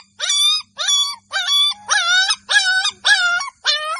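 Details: Golden Labrador puppies in a village giving high, shrill yelping barks, seven clear whining yelps spaced roughly every half second, each with a bent, wavering pitch, on a quiet background.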